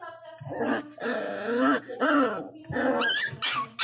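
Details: Miniature pinscher puppy, 60 days old and feisty, crying loudly indoors: drawn-out whining cries with a growly edge, coming in bursts of about a second with short gaps between.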